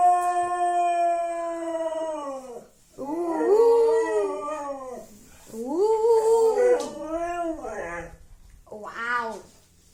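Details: Siberian Husky waking its owner with howls: a steady tone trailing off, then three arched, wavering howls rising and falling, each about two seconds long, separated by brief pauses, in a small room.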